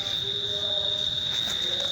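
A cricket sings a steady, high, ringing trill that barely wavers in pitch.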